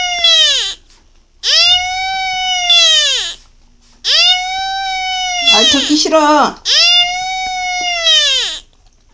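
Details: A Beagle crying for the first time in its life, four sustained, clear wails, each swelling up then falling away; a short rough noisy sound briefly overlaps the third wail, and a quiet room surrounds the calls.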